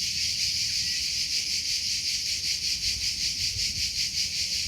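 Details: Continuous high cricket chirping outdoors, rapid pulses at roughly two and a half per second blending into a dense shimmering drone, with soft low-frequency rustle in the background.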